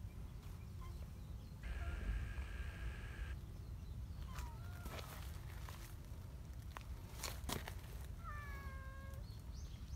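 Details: Friendly community cats accompanying a walker along a mountain path to their gathering spot: two short, faint, bending meows around the middle and near the end, with a steady low outdoor rumble and a brief tonal hum earlier.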